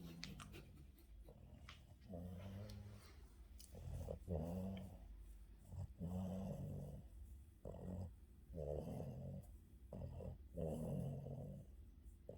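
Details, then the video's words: Boston terrier taking an afternoon nap, snoring loudly with deep, grumbling, growl-like breaths repeated roughly every one and a half seconds, each rising and falling, indoors. "Boston terrier afternoon nap, scratches and snoring"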